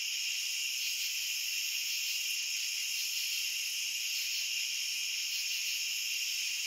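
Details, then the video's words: A continuous cricket chorus: high stacked trilling tones hold steady throughout, blending into an even shimmering hiss with no gaps or other animals. "Cricket Sounds"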